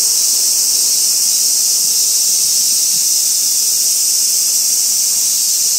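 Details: A minmin cicada (Hyalessa maculaticollis) sings a loud, steady, high-pitched buzzing drone from a tree trunk in a small park by a railway housing estate in Kitano, Japan, 23 August 2024. Some calls are from another site, and its call changes when held in hand.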